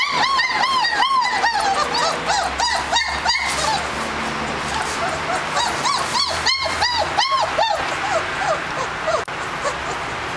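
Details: German Shepherd puppies from a litter of six males and one female born 10 May 2011, giving quick high yelping barks with arched rise-and-fall pitch, several per second in overlapping bursts, over a faint low hum.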